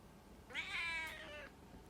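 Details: A pet cat named Puran gives a single drawn-out meow indoors, rising at the start and then held steady before fading, with a rich stack of harmonics and a quiet room behind it.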